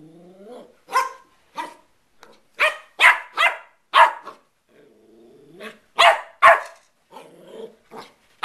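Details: West Highland White Terrier puppy at play, giving a rapid series of short, sharp yappy barks, about two or three a second, mixed with a few softer, lower whining yelps between bursts.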